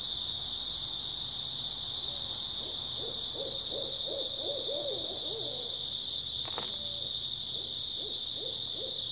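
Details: Grass insects chirping through an early autumn night as a dense, constant high whine, with bursts of low, quick hooting notes in two groups and a sharp knock between them.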